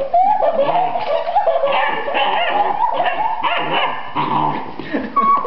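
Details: Alaskan Malamute, a pet dog, vocalizing after a person laughed hard: a continuous run of drawn-out, wavering howl-like barks and woo sounds with bending pitch, a person's voice possibly mixed in.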